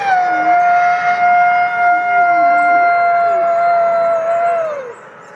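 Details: Wolf howling in a forest as communication between wolves: one long, steady, level tone held about five seconds, then bending downward at the end, with a fainter second voice beneath.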